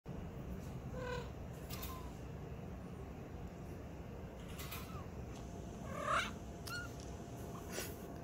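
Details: Domestic cat waking up after sleeping, giving soft, brief squeaky chirps and little trilled noises scattered through the recording, the loudest a short rising squeak near the end, over a steady low indoor hum.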